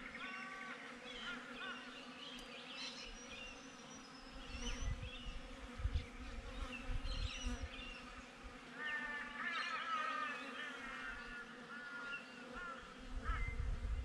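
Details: Honey bees droning at their hive, taken with a GoPro set outside it; the buzz stays level while deep rumbling gusts come and go and brief high chirps appear.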